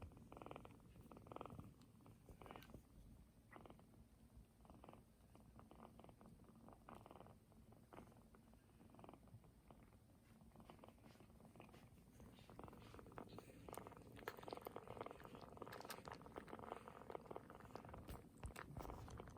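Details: 22-day-old Korean Shorthair kitten, one of a litter of eight just beginning to walk, indoors on a mat; soft, low, continuous rhythmic purring with faint rustling and handling noises throughout.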